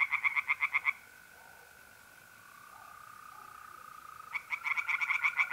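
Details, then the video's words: Night pond in north-east Italy in April: a brief run of quick rasping tree frog croaks, then about three seconds of only a smooth, even mole cricket trill, before the frogs resume their rapid pulsing. "relaxing singing tree frogs in pond"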